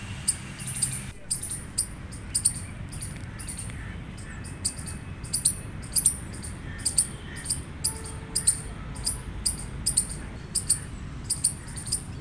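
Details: Gray squirrel giving a loud run of short, sharp, high chirps, roughly two per second in uneven bursts, over a steady low background rumble.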